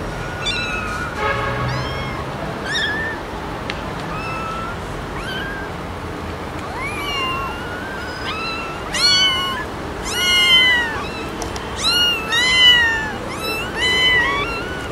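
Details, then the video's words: Domestic cats and kittens meowing, compiled from several noisy pets: soft scattered mews at first, then a rapid run of loud, high, arching meows in quick succession through the second half. "Funny Cats and Kittens Meowing Compilation October 2020 😺💗 Noisy Cats and Kittens Meow"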